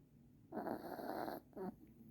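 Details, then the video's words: A puppy asleep in Christmas pajamas snores indoors: one long rasping breath of about a second, then a shorter snort after a brief pause, over quiet room hiss. "Snoring Puppy"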